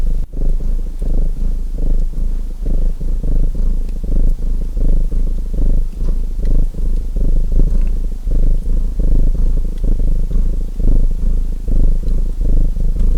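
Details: A domestic cat (Felis catus) purrs steadily in a deep, rumbling rhythm, with the faint crackle of a fireplace behind.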